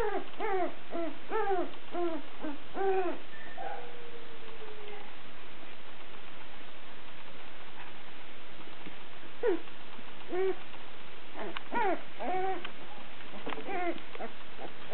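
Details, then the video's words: Female Sussex Spaniel puppies a little over two weeks old whimper in quick arched squeals, a run at the start, scattered single cries in the middle, and a busier cluster near the end over constant room hiss. "Sussex Spaniel Puppies"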